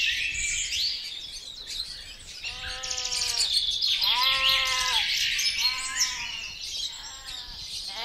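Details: Texel sheep outdoors giving four wavering, nasal bleats in quick succession, each a few tenths of a second long, set against a dense, constant chorus of high chirping and trilling wild birds.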